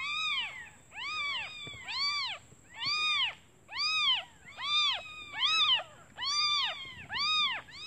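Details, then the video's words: Hungry newborn kittens calling their absent mother, who left to find food; steady series of bright, harmonic-rich mews, rising and falling, about one each second, some overlapping calls from several kittens. "Suara anak kucing memanggil ibunya"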